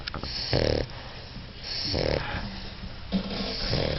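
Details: Sleeping English Bulldog, four months old, snoring in a small room: three raspy, drawn-out snorts about a second apart over a low, continuous background rumble.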